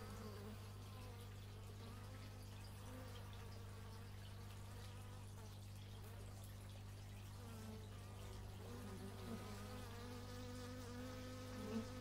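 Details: Outdoor stereo recording of bees, made with an x/y microphone: wavering buzzes that rise and fall in pitch as insects pass close by, layered over a steady low drone of hum.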